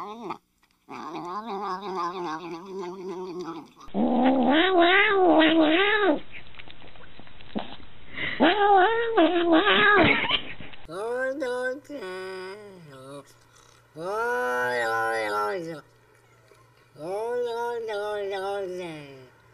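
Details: Domestic cat making a long series of loud, warbling yowls and moaning caterwauls of varying pitch, some wavering and bending, in separate bursts with brief gaps.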